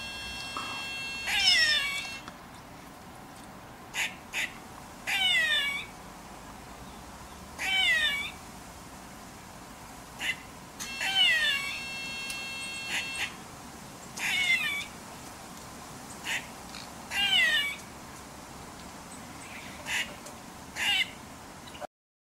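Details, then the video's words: Female grey squirrel scolding a domestic cat from a radio transmission tower beside her drey. Harsh, nasal, downward-sliding wails recur every two to three seconds, with short clipped chucks between them. "GREY SQUIRREL ALARM CALL"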